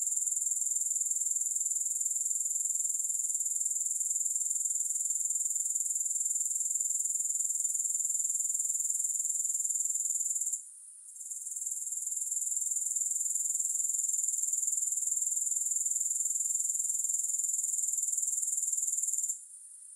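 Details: Grasshoppers in a recording with no music: a high, shrill, unbroken buzzing trill with a fast pulse of about four beats per second, cutting out briefly twice, then resuming at steady strength.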